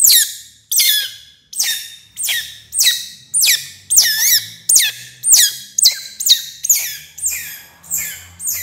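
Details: Baby otter eating fish for the first time, giving shrill, high squeals in a steady series, each cry sliding downward and repeated roughly every two-thirds of a second, with faint low background hum.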